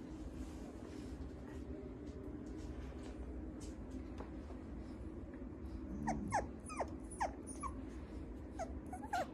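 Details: Maltipoo puppy making a run of short, high, falling whimpers and yips in the second half, over a steady low background hum.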